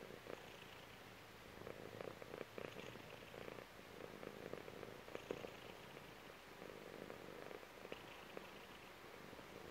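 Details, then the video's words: Purring from a chubby female cat resting on her owner's belly; continuous low, grainy rumble that swells and fades in cycles of roughly one to two seconds, matching her breathing, with small rustling clicks. "CAT PURR"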